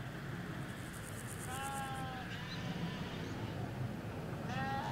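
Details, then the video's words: Hampshire field of sheep, ewes alongside lambs, recorded in stereo along a hedge: two faint, wavering bleats a few seconds apart, the second rising at the end, partly buried in heavy low traffic rumble with bird chirps above. "4K Sheep Field - One Hour Sound and Video"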